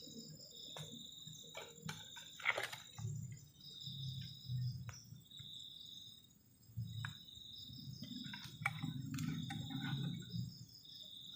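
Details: Crickets on a cold night beside a garden shelter at a forest edge, giving steady, pulsed, high-pitched chirping in two thin bands, over a low rumble with scattered clicks and knocks from nearby activity.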